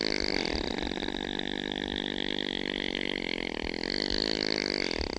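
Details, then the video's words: Snoring opossum producing a continuous nasal drone with stacked overtones and a rapid rhythmic flutter, holding steady without pause for the whole stretch. "Opossum sounds | How does an opossum snore"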